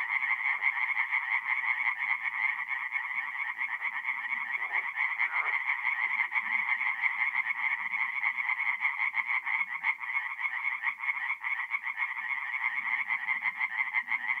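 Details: Forest pond at night in North-East Italy, mid-April, full of singing tree frogs: an unbroken, rapidly pulsing chorus of croaks from numerous frogs over a long stretch, with scattered faint low noises.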